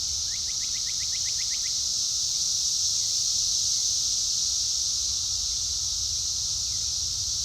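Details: Cicadas in full chorus drowning out a mockingbird: a steady, loud, high-pitched hiss with no break, while a brief run of quick, rising bird notes is barely heard at the start.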